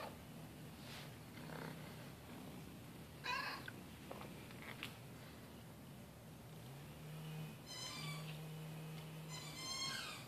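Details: Young kitten wandering into a garage during brake pad work on a Ford Explorer, probably a neighbour's pet rather than a stray; thin, high-pitched meows near three, eight and ten seconds over a steady low hum and faint workshop noise.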